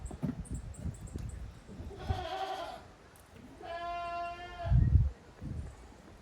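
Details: Young goat kids playing hard in an exercise yard at a handmade goat farm on 30 April 2023; two nasal harmonic bleats, each under a second, with thumping and rustling from active play between them.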